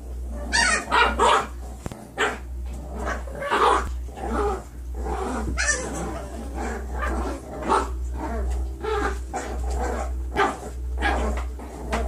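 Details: Nine-week-old foster puppies from one litter playing together, giving short yips, barks and growls in irregular bursts over a steady low hum.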